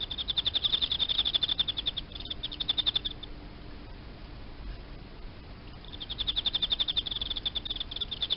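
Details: Indoor captive Emma field cricket: quick high chirp pulses for about three seconds, a quiet stretch of nearly three seconds, then the rapid pulsed chirping returns loudly.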